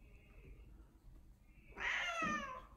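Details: Domestic cat named Odeko meowing while seeking affection indoors: after a quiet start, one clear harmonic meow rises then falls, about one second long, with a soft lower trailing note.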